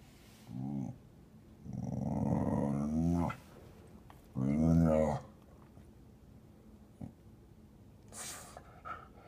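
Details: Female dog at her window perch growling at another dog four stories below; two low rumbling growls, the second longer, then a short stronger burst, with quiet human voices between.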